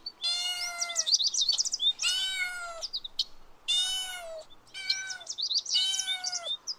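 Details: Kittens chasing butterflies on grass meow five times in steady succession, each call clear and slightly falling at the end, with busy high-pitched birdsong chirping between and over the meows.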